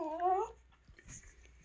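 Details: Short rising whimper from a happy house dog offered a strawberry at dawn in the kitchen, half a second long, followed by quiet room noise and soft rustling.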